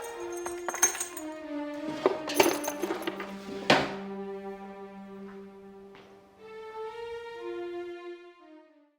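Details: Music with chiming, tinkling percussion and sustained tones, no animal voice heard.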